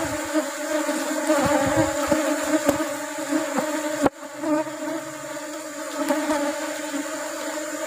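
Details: Asian honey bee (Apis cerana) colony opened for honey harvest in the rubber-flower season. A dense, even hum runs throughout, with scattered clicks and one sharp knock near the middle.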